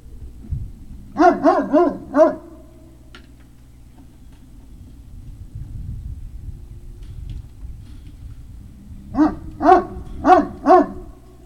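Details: Group of Great Dane puppies, Puppy Hill, 03-05-2019 evening: a run of four rapid barks, a long lull with low background noise, then another string of four barks in quick succession.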